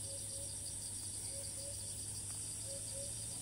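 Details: Cicada in Thailand, filmed from afar on a tree as it keeps calling after each flight; a steady, high, pulsing buzz runs throughout, with short low whistled notes repeated about every second.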